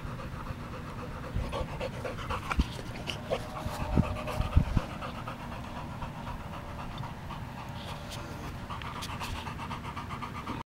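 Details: Boxer dog breathing hard in continuous low, huffing pants, with a few sharper clicks and snaps in the middle.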